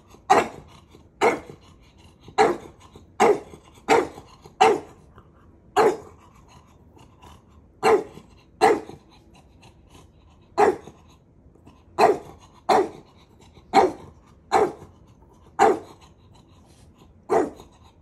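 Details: Maui, a dog testing the patience of his big brother, barks in short sharp bursts, about seventeen over eighteen seconds, coming in irregular runs of quick pairs and single yaps with short pauses between.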